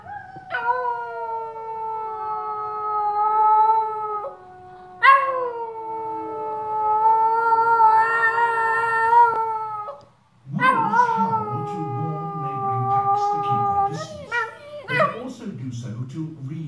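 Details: Dog answering David Attenborough's wolf call with drawn-out, level howls, each several seconds long with short gaps between, ending in rougher, broken yelping howls.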